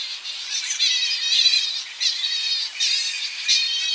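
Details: Close-up of a Tonga flying fox colony at coastal roosting trees as the bats return in early morning: many shrill, quavering high-pitched squeals overlap into a constant chatter, with sharp louder bursts around every second.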